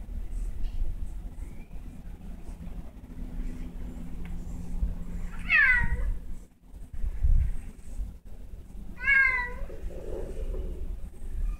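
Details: Confused cat stuck indoors meows twice, each a wavering, slightly descending cry, roughly three and a half seconds apart, over a steady low background hum and occasional bumps.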